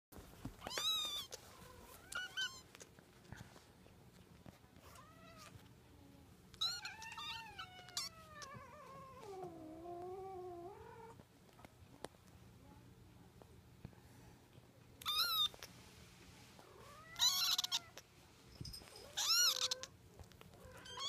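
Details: Munchkin kitten, 63 days old, giving a series of high, rising and falling meows, some long and wavering, others short and sharp, spaced irregularly with quiet gaps between.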